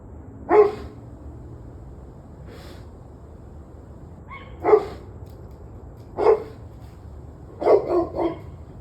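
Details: Dog barking on the evening of 21 November 2023, 7:06 pm: sharp, gruff barks spaced irregularly, one then a pause, two more, ending in a quick burst of three barks, with faint distant barking and low background hum.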